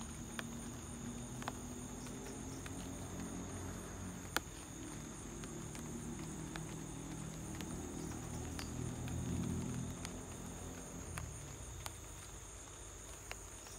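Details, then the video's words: Home recording of a cricket's unbroken high trill during light rain, accompanied by irregular rain taps and a soft low rumble that swells near the end. "light rain + cricket sound"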